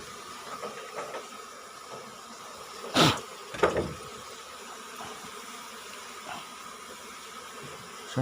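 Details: Asian honey bee colony being harvested from its nest under the roof of a small rice-field hut, five combs taken; a steady diffuse hum of many bees runs throughout, broken by two sharp bursts of handling noise near the middle.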